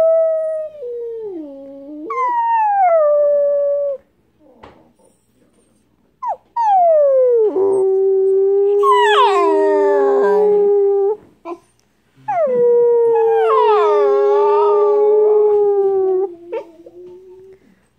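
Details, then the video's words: Howling Siberian Husky puppy: drawn-out tonal howls that slide downward then hold steady, later ones rougher and breaking upward, in three long phrases with short yips and pauses between. "Siberian Husky Puppy Howls"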